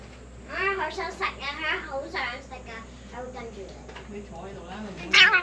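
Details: Stray cat meowing several times in quick succession, each call a bright, wavering, harmonic-rich cry, with a human voice talking alongside and a low steady hum underneath.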